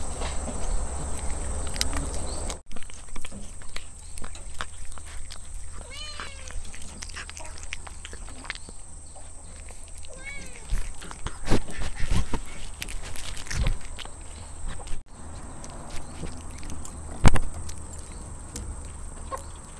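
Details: Cat eating fried chicken from Bataras, fed as a treat; two short meows rising then falling, about four seconds apart, over a steady low hum, scattered chewing clicks and faint background noise.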